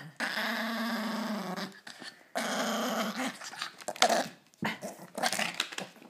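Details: Small pet dog named Sammy, indoors, growling to guard his bone from his owner's hand; long rumbling growls lasting over a second each, with a higher snarling whine between them.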